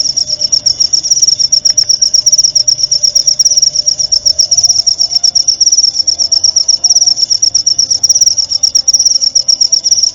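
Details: Clean cricket song meant for training murai batu (white-rumped shamas) at night: a shrill, evenly pulsed trill running continuously, each pulse a quick high tick, over a quiet low background drone.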